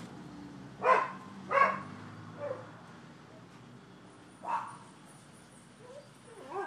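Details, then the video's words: Neighbors' dogs barking on 12/7/15 at a Florida property, part of thirty minutes of nuisance noise: somewhat distant barks, two close together, a faint one, then another after a pause, over a steady low hum. "Barking Dogs"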